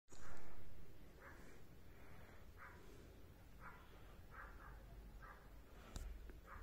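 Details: Polish Hound puppy falling asleep, giving a steady run of soft, breathy snorting breaths repeated about every half second to second, low and quiet in a calm indoor setting, with one faint click near the end.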